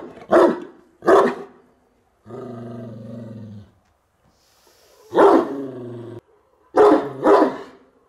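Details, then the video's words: Bucovina Shepherd Dog at Horodnic de Sus, 30 September 2017: two deep barks, a drawn-out droning growl, then further loud barks in a quick pair near the end. "Ciobanesc de Bucovina"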